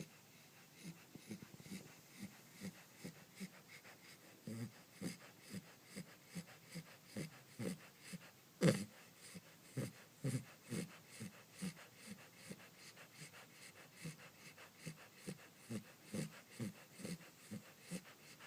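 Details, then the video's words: Clementine, a Pembroke Welsh Corgi puppy, snoring while asleep: soft, low, rhythmic breathy snores about every half second, with one sharper snort midway, in a quiet indoor room. "Snoring Corgi Puppy"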